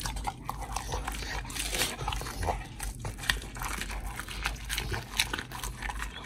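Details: Oli, a pit bull, eating a raw fish and steak meal, recorded August 4, 2023: dense, continuous wet crunching and biting clicks with soft smacking, steady throughout with sharper cracks near three and five seconds.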